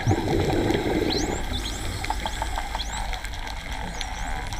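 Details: Dolphins underwater at Raggie Cave: a series of high, rising and curving whistles, several overlapping, over a steady low underwater rumble with scattered clicks.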